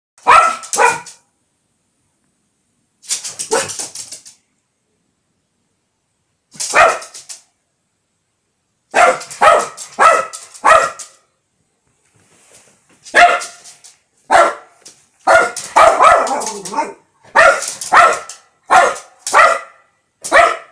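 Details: Blonde Lhasa Apso barking while bothered by a fly: loud, sharp barks in bursts, single yaps and quick runs of three or four, with short silent gaps, denser and more rapid toward the end.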